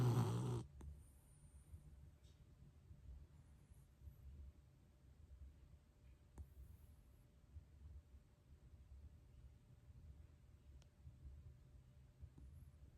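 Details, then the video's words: A pet dog snoring softly indoors: a low, rumbling breath sound repeating steadily through the recording, with a short loud bump at the start and a few faint clicks. "My dog snoring"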